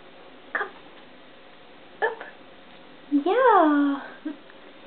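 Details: A male domestic cat meowing indoors: one drawn-out meow rising then falling in pitch, preceded by two short soft sounds, with a person speaking quietly in Swedish before and after.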